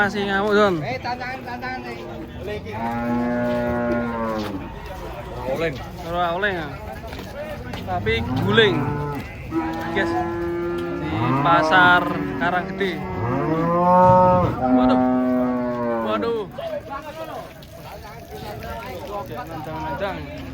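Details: Cattle unloaded from a truck moo repeatedly, a string of loud, drawn-out bellows, several rising and falling in pitch, coming one after another for about fifteen seconds, with faint voices in the background.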